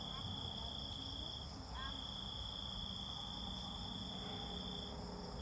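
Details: Cicada song heard as a faint, steady high whine held almost unbroken for five seconds, with a soft low rumble of background noise beneath it.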